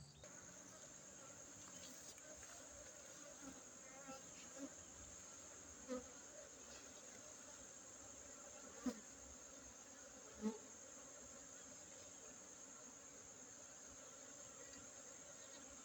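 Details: Honey bees buzz during a honey harvest on Monday, 5 June 2023, at an apiary inside a Gayo Arabica coffee plantation in Tingkem Bersatu village, Bener Meriah, Aceh, Indonesia. A steady, low, droning hum continues throughout, with a few brief clicks.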